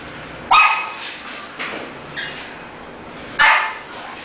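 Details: English bulldog barking: four short, sharp, high barks spaced irregularly over about four seconds, the first and last loudest, with a quiet background between them.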